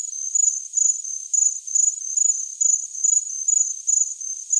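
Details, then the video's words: Cricket chirping as a tinnitus masking sound: a high, thin trill pulsing in quick bursts about every 0.4 seconds, steady and unbroken, with no other sounds. "Best Cricket Sound Effect Ever Tinnitus Masking Sounds Chirping Cricket"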